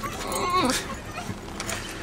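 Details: Several excited Basenjis whine in high, wavering, bending tones, eager as they realise they are heading to their favourite nearby park and walking trails.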